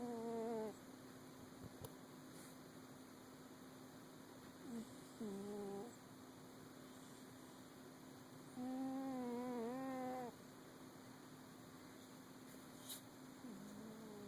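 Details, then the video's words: Cat asleep and snoring, with four tonal, nasal-sounding snores of uneven length, the longest over a second and bending downward, recurring every few seconds beside a constant low appliance hum, with a soft click now and then. "Snoring kitty"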